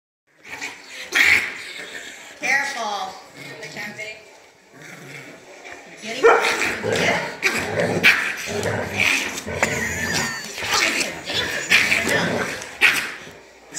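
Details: A Pomeranian playing with a Bernedoodle gives raspy, quacking barks and squawky yips like an angry Donald Duck, in quick irregular bursts, with people talking and laughing throughout.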